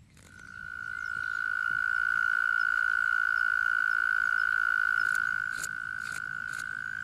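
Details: Male European mole cricket singing its love song underground in spring in a garden, its surface sound funnel acting as an amplifier to draw distant females; a continuous, steady, pure churring trill holds one pitch for about six seconds, with a few faint clicks.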